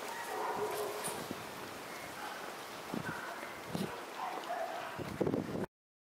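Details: Male White Schnauzer puppy born on 23 September gives thin, high whimpering squeaks in short separate bursts, with soft rustling and quiet human voices in the background.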